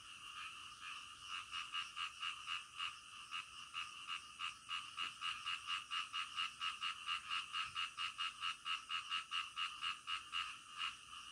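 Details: Frogs croaking at night in a fast, fairly steady series of short rasping pulses, about two a second, rolling on continuously above a thin background hiss.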